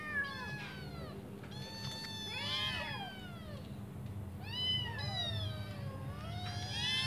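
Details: Five hungry kittens call for their mother to come back and feed them. Thin, wavering meows, some bending downward, overlap irregularly over a noticeable low rumbling background.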